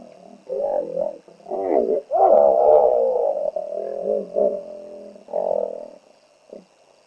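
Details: A territorial hippo on the banks of the Olifants River near Naledi Game Lodge, greater Kruger National Park, shouting at a trespassing hippo: loud wheezing, honking bellows in a rapid series, then fading grunts.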